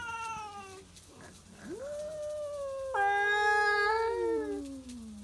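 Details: Stray tabby cats at midnight in a territorial standoff over a backyard, trading drawn-out yowls; a brief fading cry, then a rising wail, then a louder harsh howl that slides downward at the end.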